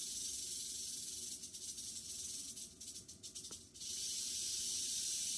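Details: Western diamondback rattlesnake in captivity, shed three days earlier, killing a mouse; a high hissing rattle that turns into quick stuttering pulses in the middle, then returns to a steady buzz.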